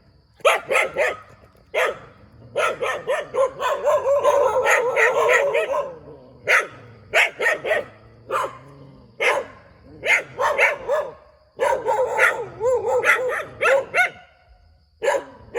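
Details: A dog barks persistently beside a rubber plantation. Irregular barks are spread throughout, with a long stretch of dense, continuous barking in the middle and quick runs of three or four near the end.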